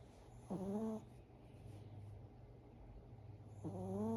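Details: A sleeping Chihuahua snoring indoors: two soft, low, wheezy harmonic snores about three seconds apart, each breath sliding briefly upward then holding steady, with a quiet steady hum underneath.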